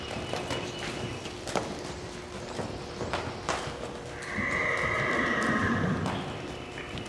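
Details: Cash, a six-year-old pleasure-bred bay Quarter Horse gelding from Mount Vernon, Ohio, moving with steady clip-clopping hoofbeats, then giving a sustained, tonal, steady-pitched neigh lasting about two seconds before the hoofbeats resume.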